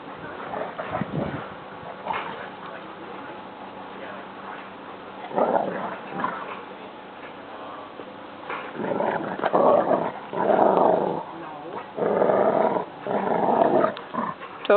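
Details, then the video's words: Boarding dogs, including a small Border Collie puppy and a visiting Siberian Husky, playing together in a backyard; quiet start, then from about nine seconds a run of rapid, bursting barks and yips in clusters, with a person talking earlier. "Boarding Dogs Playing in the Backyard!"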